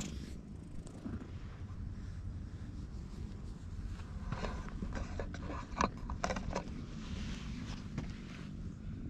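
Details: Ginger tabby community cat relaxing in the parking lot of a cat shrine, purring steadily while being stroked, filmed on a GoPro HERO8; a low rumbling purr with scattered rubbing and handling noises over it.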